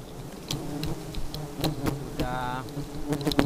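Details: Aggressive honey bees keep up a low humming buzz with crackling taps throughout. A short bright tone sounds from just after two seconds to about half a second later.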